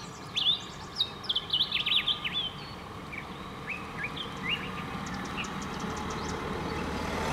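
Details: Dwarf mongooses in Kruger National Park give quick, high, bird-like chirps and peeps in short bursts, over a low rumble.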